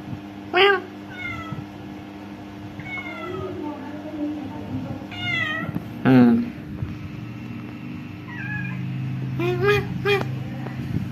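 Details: Several meows from orange cats visiting a home, short sharp cries alternating with softer drawn-out mews, a loud one near six seconds, with a steady hum and some low rumbling behind.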